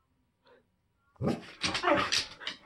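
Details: Siberian Huskies at home reacting to people and dogs walking past the house: after a short quiet yip, a burst of loud, harsh, overlapping barks follows, rough and broadband, in quick succession.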